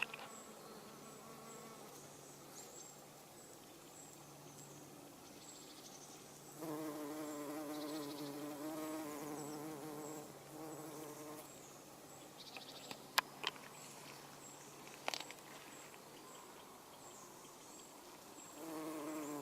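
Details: Garden bumblebee working everlasting sweet pea flowers: after faint humming, a louder rich buzz swells for about four seconds, wavering as it moves, with a few sharp clicks and another buzz starting at the end.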